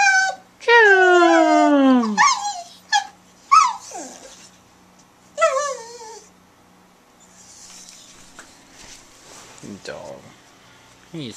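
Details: Sadie, an eight-year-old brown Border Collie mix in the Bahamas, barks when urged on: a long wavering howl-like bark sliding downward, then several shorter sharp barks and yelps, with a person talking and a low hum throughout.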